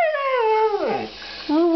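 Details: Male Siberian Husky named Demon, kept as a pet, 'talking' to the person addressing him: a sustained falling howl that slides downward into a groan, a short gap, then another low whining note.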